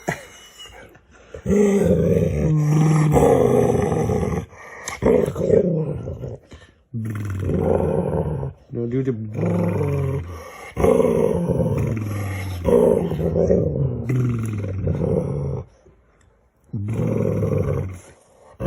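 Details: Dog playing games with its owner, giving drawn-out, wavering, moaning vocal bursts of one to three seconds, separated by short pauses, with a person's voice mixed in.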